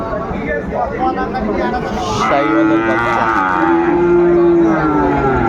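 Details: Cattle market at Ambari haat, 13 January 2025, with Sahiwal bull calves for sale: a long, even moo lasting about three seconds carries over steady crowd chatter and nearby bargaining.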